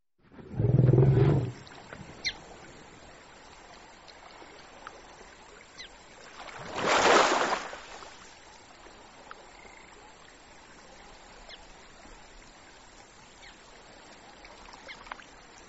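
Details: African bush elephant: a deep, low rumble near the start lasting about a second, then around seven seconds a loud broadband trumpet-like blast; quiet natural background with faint clicks between calls.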